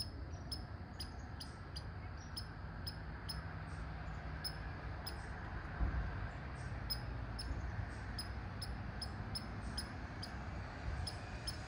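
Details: Red squirrel barking: a long series of short, high, sharp squeaky notes, often in quick pairs or clusters, repeated irregularly over a steady low background rumble.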